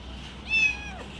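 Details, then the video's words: Little pet kitten making noise while eating cat food, said to sound like enjoyment and to guard its food; one short, high, thin whine with a wavering tone, rising and then easing off, over quiet room hum. "little kitten eating food making noise||protect food"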